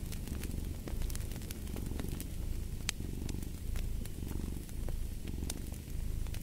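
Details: Domestic cat purring steadily beside a crackling fireplace; a low rumbling purr swells and fades with each breath about every second, while sharp pops and crackles of burning wood sound throughout.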